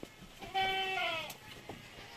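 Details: One bleat from a purebred Anglo-Nubian goat around kidding time, where two does gave birth: a steady, wavering nasal tone held for about three quarters of a second before dropping slightly, followed by a faint click in otherwise quiet surroundings.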